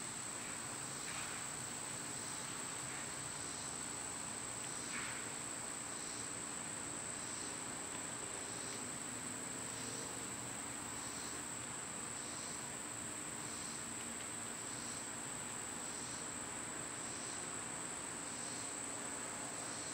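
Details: Cicadas in summer keep up a level, high whining buzz, while a softer pulsing insect note repeats roughly every second and a few faint chirps sound early on.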